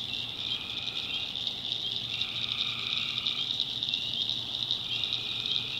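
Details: Night chorus of tree frogs in a North Carolina backwoods swamp, a continuous shrill drone with a lower trilling call rising in around the middle, then easing off, crickets blending into the background.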